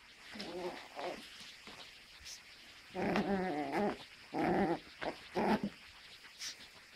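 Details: Russian Toy Terrier puppy, kept as a pet, giving several short harmonic growling bursts of rising and falling pitch, clustered around the middle seconds, with quiet voices and room noise between them.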